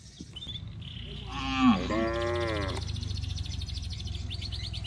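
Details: Village cattle heading down to the rice fields, calling to their companions: one drawn-out, wavering moo in the middle, with chirping birds and a steady low rumble behind it.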